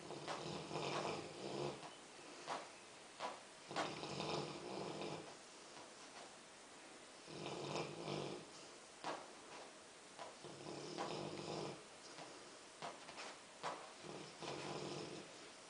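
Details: A Rottweiler snores in loud, rasping breaths every few seconds while asleep and dreaming.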